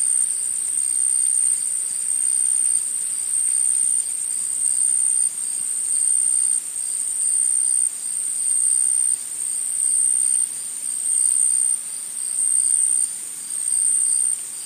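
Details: Insects in a forest: a high, thin, steady buzzing trill that swells into louder bursts roughly every one to two seconds, the pulsing continuing without pause, with a faint hiss of background beneath.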